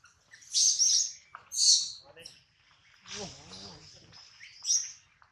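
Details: Baby monkey Adler, missing his mother and hungry, crying while held by a small monkey: two shrill high-pitched screeching bursts, then a softer wavering wail and a final brief squeal.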